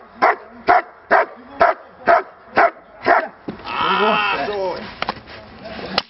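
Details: German Shepherd in training gives seven crisp, evenly spaced barks about every half second, followed by a person speaking and a few faint clicks.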